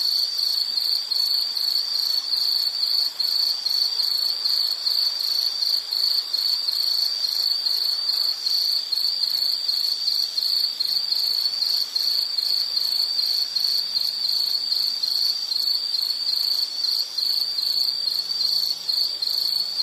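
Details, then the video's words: Continuous high, shrill insect trill pulsing evenly for the whole stretch, a relaxing nature ambience with a soft low background murmur and no other callers standing out. "Sound · Nature Sound of nature sounds scenery L · insect"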